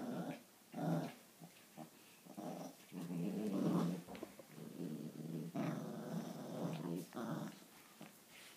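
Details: Italian Greyhound and Papillon at play in a tug-of-war game indoors: uneven growling bursts rising and falling, with a longer steady growl near the middle and softer gaps between.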